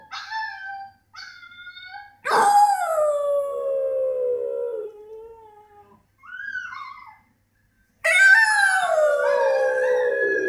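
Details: A French Bulldog gives short whines, then a loud howl that drops in pitch and holds a sustained quavering note, followed by a brief rising whine and a second strong descending howl.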